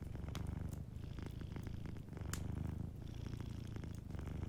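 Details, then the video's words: Soft purring from a sleeping cat near a cozy fire, a dense low vibrating rumble in even breath-paced waves, with faint crackle ticks above. "Warm Fireplace Ambience with a Sleeping Cat 🐱💤Fireplace & Soft Purring"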